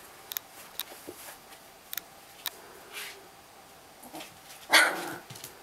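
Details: Three-week-old Siberian Husky puppies give a brief, high yelping squeal amid soft clicks and shuffling.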